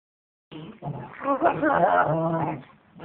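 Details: A 4-month-old German Shepherd puppy and a 4-year-old Bloodhound play fighting indoors, very vocal but only playing: a continuous run of throaty growls blending into whiny, wavering harmonic yelps for about two and a half seconds.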